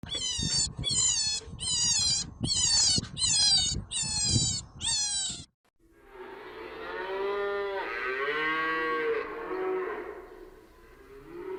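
A donkey brays in a run of harsh, rhythmic pulses, then a long, drawn-out groaning call.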